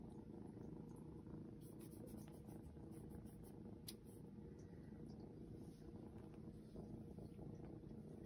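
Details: Being patted, the seal point Ragdoll kitten Shadow gives a dense, even, low purr, with light scratchy handling clicks in the middle.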